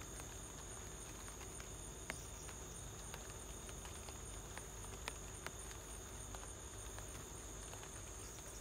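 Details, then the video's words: Crickets recorded at home during light rain, giving a steady, high, continuous shrill trill that runs the whole stretch, with soft scattered ticks of raindrops and a low background rumble. "light rain + cricket sound"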